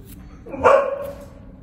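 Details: Noah, a five-year-old tan and white male mastiff and pit bull mix, lets out one short, gruff bark lasting under half a second, rising sharply and fading quickly against a quiet indoor background.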